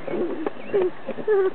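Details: A Dachshund puppy trying to turn over a plastic bowl gives short, thin whines that slide downward, with soft scuffling between them.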